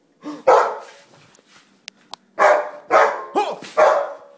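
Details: Jack, a Rottweiler and German Shepherd mixed-breed dog, gives a loud bark, a quiet gap with small clicks, then four more forceful harsh barks in close succession.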